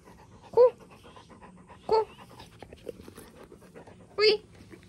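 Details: Youngest retriever playing indoors after a bath before going for a walk, giving three short, high whining yelps about a second and a half apart, with quieter snuffling between and a person speaking softly.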